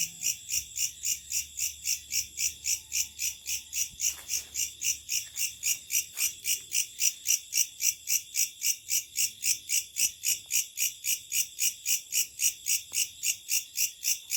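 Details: At night, locusts give a loud, piercing, steadily throbbing buzz, pulses repeating close to four per second without pause, with a few faint ticks underneath.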